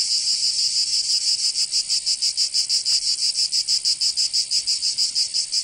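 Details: High, harsh cicada buzzing recorded in summer in Provence, southern France, throbbing in quick regular pulses roughly three times a second, the beat growing sharper toward the end.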